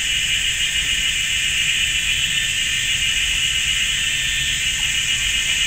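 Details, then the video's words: Cicadas buzz loudly in a GuanYin Shan forest in Taiwan on a sunny summer afternoon. An even, unbroken high-pitched hiss-like drone in two bands, steady and loud. "GuanYin Shan Forest and Cicadas"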